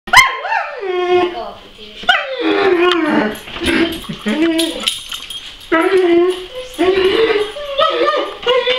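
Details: A Weimaraner whines in sliding, high-pitched wails while a person talks. It is asking to be let outside because the neighbour's dogs are out and it wants to bark at them through the fence.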